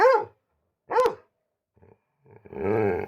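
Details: Pet dog giving two sharp, clipped barks about a second apart. After a short pause, a person's voice follows.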